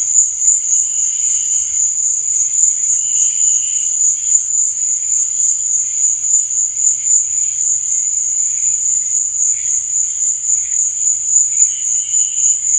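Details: Crickets sing through the night in a bright, unwavering high trill. Quieter, lower buzzy pulses recur every few seconds beneath the main tone.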